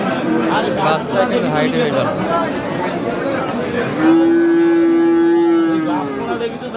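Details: At Aftabganj market, Dinajpur, Bangladesh, on 26 October, a Friesian heifer calf gives a loud, level, sustained moo lasting about two seconds. Bargaining voices and market chatter come before it.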